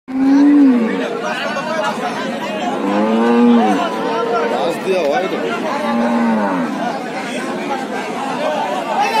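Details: Cattle being unloaded from a stranded trawler onto the bank; several drawn-out moos, some sliding up and down, mixed with steady human chatter and shouting throughout.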